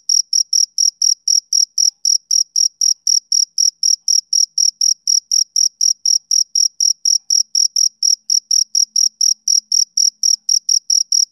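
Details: Rhythmic male cricket chirps from a summer evening, high and piercing, repeating around four times per second in an unbroken, metronome-like series against quiet surroundings.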